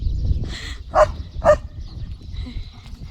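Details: Leo, a German Shepherd, barks at another dog he spotted while walking home from the fields on his evening walk, jumping with energy and alertness. Three loud, sharp barks come about half a second apart over low rumbling handling noise.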